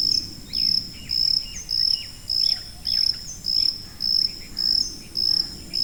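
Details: Cricket call from a tinnitus masking series, a thin, piercing chirp train of even bursts close to twice per second, while soft falling bird notes flicker behind over a low murmur.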